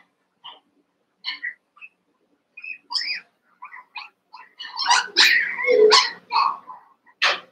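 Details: Cavalier King Charles Spaniel puppies, one month old, playing and wrestling among eight littermates in a pen: sparse squeaky yelps at first, then a dense flurry of sharp, high barks and whines near the end.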